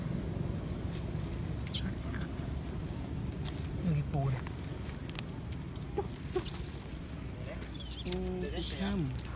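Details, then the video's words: Baby monkey, a young female, crying to her mother for nursing while seemingly feeling unwell; low murmuring noise at first, then a burst of high, wavering, shrill squeals near the end, some layered with lower tones. "Poor baby monkey crying implore mother comes taking care and nursing her"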